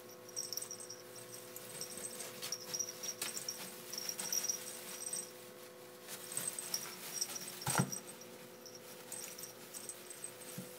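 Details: Fighting ferrets, shot with an 8mm camera app, make short, faint, high squeaks scattered through the clip. Soft scrabbling and bumps accompany them, with one sharp knock about two-thirds of the way in.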